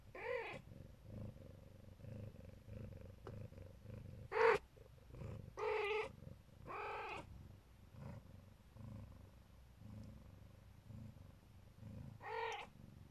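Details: Siberian mother cat of the Neva Masquerade type protecting her kittens; soft low purring underlies a series of short, higher mews and squeaky cries scattered across the recording.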